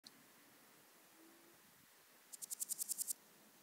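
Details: Swiss gold grasshopper at Wildhaus, Switzerland, on 7 October 2022: a faint short burst of about eight high, dry rasping pulses, rising in loudness, after a stretch of quiet background hiss.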